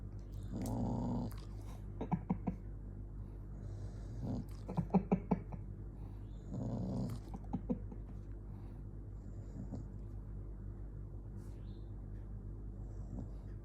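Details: Angry dog named Jonggi growling: two rough, low, throaty growl bursts about six seconds apart, with softer snuffs and short huffs between them over a steady low hum.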